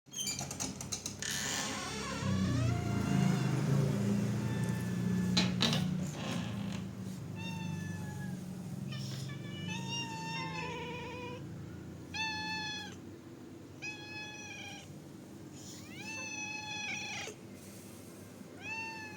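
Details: Stray cats being fed outdoors; rumbling, clattering noise at first, then a series of short, high meows with clear harmonics repeating every second or two, alongside steady background hum.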